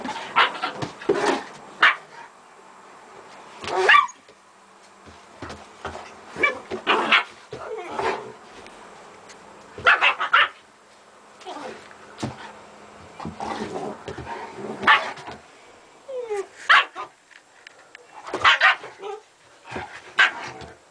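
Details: German Shepherd mother Gretta at play with her puppies: frequent clustered barks and high yips come in quick bursts every second or two, with softer scuffling between.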